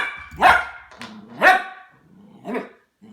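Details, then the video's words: Harvey, a 10-week-old Goldendoodle puppy, barks indoors at a new plastic ball toy, wary and slow to warm up: three sharp, bright barks about a second apart, the last softer, with a low growl between them. "How Harvey the Goldendoodle reacts to new toys"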